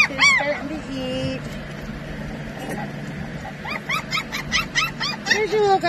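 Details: Australian Shepherd puppies: high, sharply arched yips and squeals, a rapid cluster of repeated short yelps near the end, with a person talking over them.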